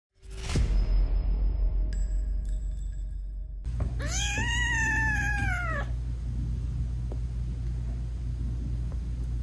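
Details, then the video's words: British Shorthair mother cat with tiny newborn kittens whose eyes are still closed, talking to them while nursing; one long arched meow after a few seconds of clatter, over a steady low hum. "Cat Purring Meowing 🥰Sweet Mommy Cat Talking to her Cute Tiny Kittens"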